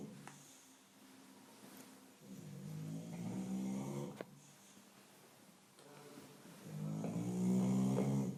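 An English Bulldog snores with deep, rattling rasps that swell and fade with each slow breath.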